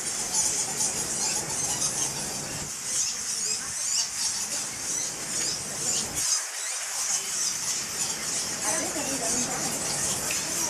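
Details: High squeaky twittering pours steadily from the mouth of the Goa Lawah Temple cave in Bali, home to around a million fruit bats. Overlapping tiny chirps form an unbroken shimmer, with faint low background murmur.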